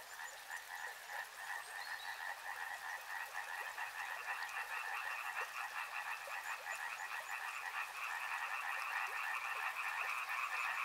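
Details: Many frogs croaking near a river in an unbroken pulsing chorus that grows louder and higher toward the end, a steady water-like hiss underneath.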